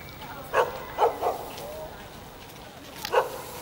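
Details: Jindo dog on a building rooftop in Jeonju, North Jeolla Province, Korea, greeting visitors: four short, sharp barks, three close together and then one after a pause.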